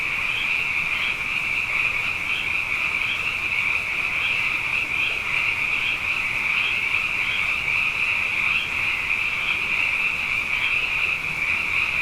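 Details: Night chorus of many frogs, plentiful after two consecutive wet years: continuous shrill pulsing calls merge into one high shimmering wall of sound, with faint bright accents rising above it every second or so.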